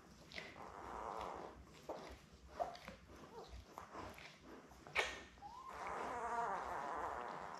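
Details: Newborn Labrador Retriever puppies, a litter of seven born May 24, 2021, with their mother Belle on a live camera on June 4: soft rustling and shuffling, then thin rising squeaks and wavering whines near the end.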